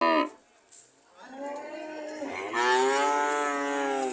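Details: Cows ready to leave, one giving a brief low call, then after a short pause a long, steady, drawn-out moo that swells louder partway through and holds to the end.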